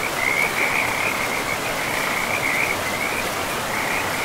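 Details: Beside a forest river among mossy land, frogs give quick, rattling high trills that run almost without pause at an even pitch, blended into the loud, unbroken rushing of the stream.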